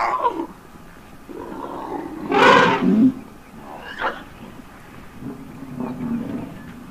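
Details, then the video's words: Baby African elephant stuck in mud on a South African safari, screaming for help as its mother comes to the rescue; one loud, harsh, broadband cry of under a second amid quieter rumbling and faint background noise. "Mom elephant comes to the rescue after baby screams for help"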